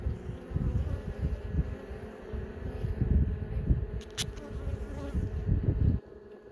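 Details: Honey bees at an opened hive, young bees coming out of brood cells; continuous low droning buzz with uneven surges, a brief sharp click near the end, then the hum drops quieter.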